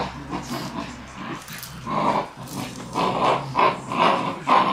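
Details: Three Shiba Inu straining at a tug-of-war game, giving rough, rumbling growls that swell in bursts about every half second and grow louder toward the end, with low background noise.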